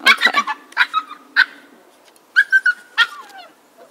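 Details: Siberian Husky puppies at almost six weeks, Jazmin, Aurora and Nikita, produce a rapid cluster of high squeaky yips, then thin drawn-out whimpers and scattered sharp yelps with short pauses between them.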